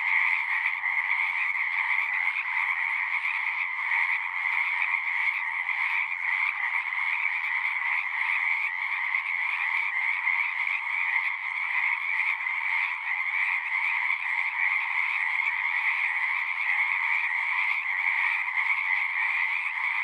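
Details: Chorus of frogs at a pasture pond: countless callers merge into an unbroken, shimmering trill, high and steady with a fainter lower layer, faint flickers of individual pulses throughout, nothing else audible.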